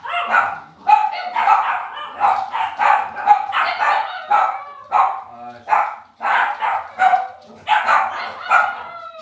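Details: Cavalier King Charles Spaniel puppies raised indoors in a home puppy pen, shown live: continuous high yapping and yipping barks, several voices overlapping in quick bursts, with brief pauses and soft squeaks between.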